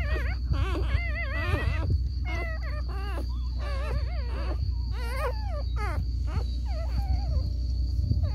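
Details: A litter of seven Lagotto Romagnolo puppies whines together at feeding time in high, wavering, overlapping cries over a low hum.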